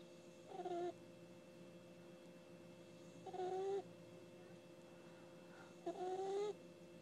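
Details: Ginny, a sleeping puppy, snores in three whistly bursts, each breath carrying a rising, reedy tone over a faint steady hum, repeating roughly every two and a half to three seconds, with quiet pauses between.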